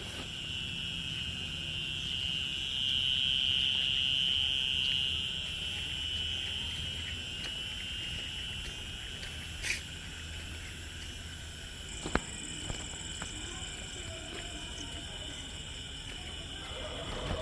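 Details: Crickets trill in a steady, high-pitched, continuous chorus on a rainy-season evening just after rain in a rural Bengal village at night, with frogs also calling and swarms of flying termites around the lights.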